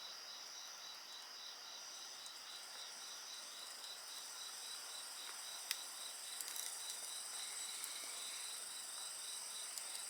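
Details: Insect voices form a constant shrill chorus with a rapidly pulsing trill, overlaid by the hiss and intermittent sharp crackles of a burning bonfire.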